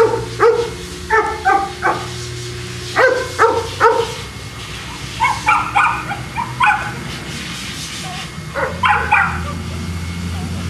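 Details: Boston Terrier dogs at Perrera Jamundí kennel near Cali, Colombia, giving short sharp barks in irregular bursts of two or three, with pauses between and low steady hum in the background.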